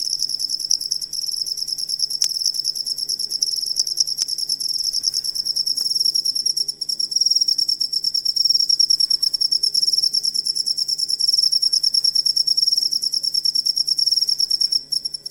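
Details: Shrill high-pitched cricket chirping meant for training songbirds, a steady rapid pulsed trill running throughout with a few faint clicks in the first seconds.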